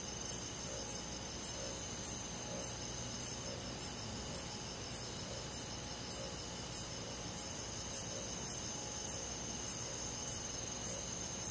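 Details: Crickets and other forest insects on a calm summer night in the countryside. Sharp high chirps repeat about twice a second over a steady, shimmering insect drone, with a faint low hum underneath.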